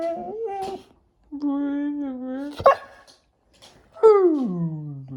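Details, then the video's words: Labrador Retriever talking back during an argument with its owner: long tonal whines and moans, one held steady, a sharp yip, then a loud falling howl-like moan, indoors. "말대꾸하는 강아지"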